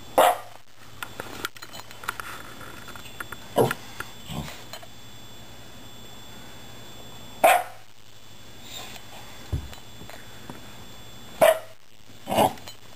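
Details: A Shiba Inu gives short, separate yelping barks and grumbles spaced several seconds apart, "talking" to two rescued cats.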